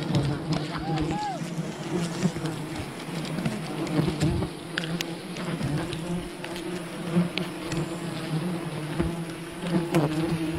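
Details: Wild bees swarming at their colony as honey is gathered, a continuous deep buzzing drone that rises and falls slightly, with scattered taps, scrapes and faint voices in the background.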